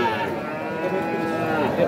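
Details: Cattle at the Aftabganj cattle market in Nawabganj, Dinajpur, where young bulls and heifer calves, including Sahiwal, are traded: one steady, drawn-out low moo lasting about two seconds over a murmur of market crowd noise.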